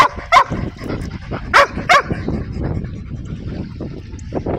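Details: Dog barking three times, short sharp barks with the last two close together, over steady rumbling background noise and faint clatter.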